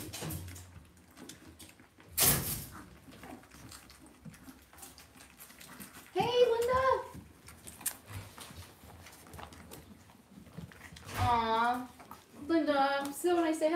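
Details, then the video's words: Cavalier King Charles Spaniel puppies raised indoors in a home puppy pen give high, wavering whining yelps in three bursts, the last a rapid series of falling squeals, after a sharp knock; quiet room noise throughout. "Cavalier Puppies Live"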